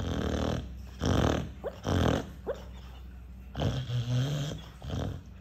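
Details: Dog asleep and snoring hard like an electric drill: harsh grinding snore bursts, with brief rising whistle-like squeaks slipped between breaths and a final longer rumbling snore.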